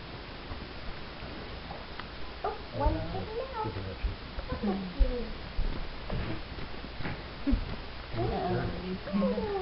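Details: Four-week-old Wheaten Terrier puppies indoors, giving many short, curved, squeaky whimpers and whines that overlap one another, with muffled human voices and occasional thumps in a small room.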